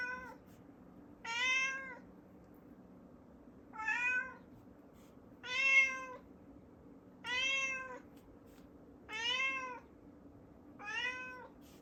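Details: Pet cat indoors, meowing repeatedly in front of a closed door while wanting to go upstairs: seven clear, rising-falling meows, each about half a second, roughly every one and a half seconds, against a faint room hum.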